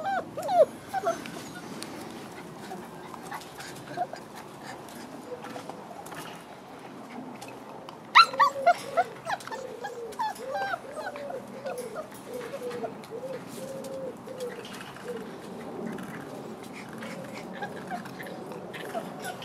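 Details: Whining chorus from six-week-old French bulldog crossed with wolf puppies: faint background rustling at first, then a clustered series of short, bending whimpers and yips, irregular and overlapping, fading into softer murmurs toward the end.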